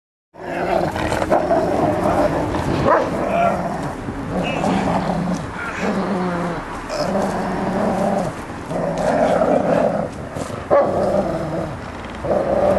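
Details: Bernese Mountain Dog growling during play-fighting with its owner, biting softly; long rough growls in repeated bursts with short breaks, with scuffling and a human voice now and then.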